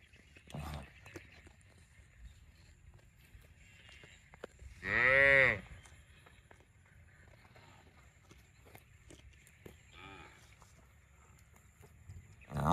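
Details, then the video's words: One clear cow moo midway through a long stretch of quiet background with scattered knocks, faint murmuring and a brief weak call near the end. "Funny cow sound video"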